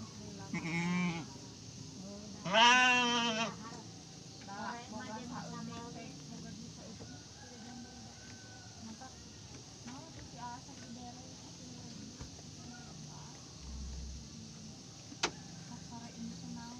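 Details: Garut sheep ewe giving birth to triplets: loud wavering bleats near the start, one strong quavering cry around three seconds, then quieter broken bleats and soft voices over steady barn noise.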